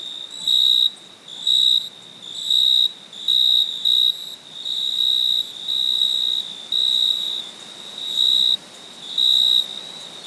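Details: Crickets calling at night: sharp high trill bursts repeated about once a second, some longer and some clipped, around a dozen in ten seconds, with a faint continuous insect whine behind.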